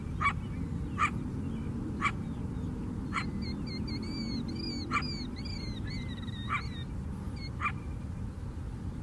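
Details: A coyote gives sharp, clipped barks at uneven intervals on a lakeside trail on Chicago's south side, with a run of thin, wavering yips between them.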